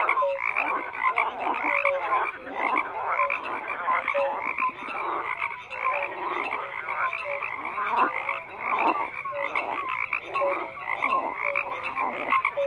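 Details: A dense chorus of frogs croaking without pause, overlapping rasping croaks mixed with short clear tonal notes and brighter upper bands, steady and continuous throughout with no other sounds.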